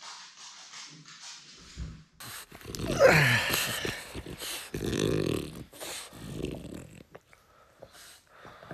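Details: French Bulldog longing to be with his owner: after a quiet start, a loud rising-then-falling whine around three seconds, followed by throaty grunting, growly murmurs and short snorts, indoors.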